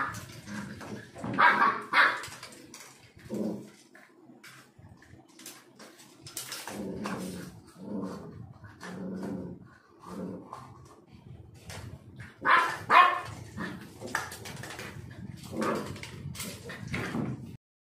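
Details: Black Labrador Retriever born in Kerala, filmed in its first year from puppy to dog, giving irregular short barks and whimpering yelps in uneven bursts, some louder peaks among softer mid-pitched vocal sounds.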